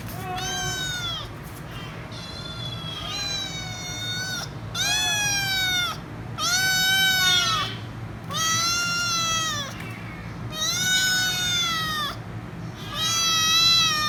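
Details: Kitten meowing loudly and insistently while demanding head rubs; long, high, arching meows repeated about every two seconds, rising then falling, with steady low background hum.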